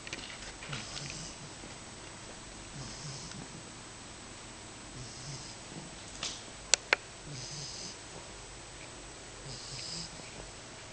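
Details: Asleep indoors, 10-week-old female English Bulldog puppy Matzoball gives about five airy, rasping snores, roughly every two seconds, over a quiet room; a couple of sharp clicks land midway.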